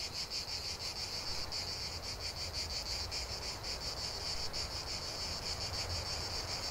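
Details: Chorus of cicadas producing a steady, pulsing buzz, rapid rhythmic throbs repeating several times a second, over a soft low background rumble.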